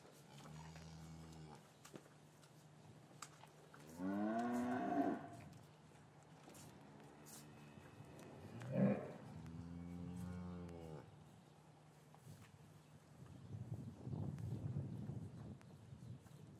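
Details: Gentle lowing of cattle in an English yard on a winter's afternoon, calves separated from their mothers; three moos spaced a few seconds apart, strongly harmonic and bending in pitch, with a steady low hum and stirring animals between.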